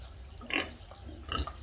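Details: A pig gives two short, rough grunts, the first loud, the second softer about a second later, against a low steady background hum.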